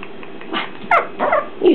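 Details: Young Shih Tzu, a newly arrived puppy, letting out a quick run of four small, bright yips and squeaky barks in under two seconds over a faint constant background hum.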